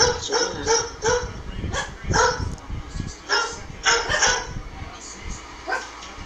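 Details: A Shih Tzu gives high, sharp barks in quick bursts at a parrot that imitates barking, the two trading yaps irregularly, about one or two each second.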